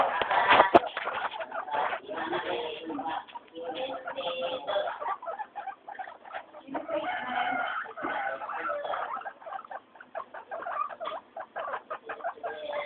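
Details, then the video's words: Happy, noisy guinea pigs, three pets named Mayumi, Archie and Miyuki, out for weekly floor time, keep up a steady stream of clipped chirps and rising squeals, with a sharp knock near the start. "GUINEA PIGS... Wheekly Floor time."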